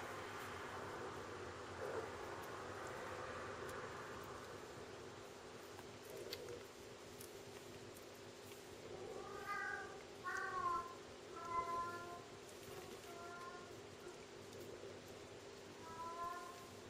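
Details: Bengal kittens, twins; a rustling start, then a series of short, thin, high mews coming in quick bursts over the latter half, with a steady low hum in the background.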